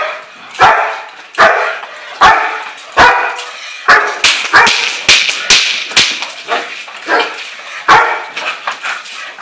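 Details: Barking by a German Shepherd in bite work, with deep, forceful barks at uneven intervals. Mid-clip they quicken into a rapid cluster of shorter yelps, then slow again to single heavy barks.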